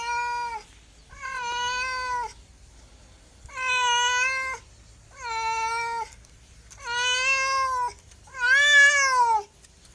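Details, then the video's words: Six long, harmonic meows from a pet cat, evenly spaced about every one and a half seconds, each held steady, the final one rising and then falling in pitch; quiet room otherwise. "SOUND CAT - MEOW CAT"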